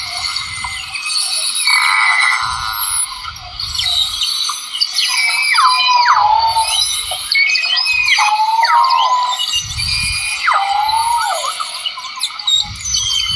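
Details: Recorded dolphins in the sea give a series of clear falling whistles, each sweeping down sharply and then leveling off, repeated several times over a steady hiss of water noise with occasional low thuds.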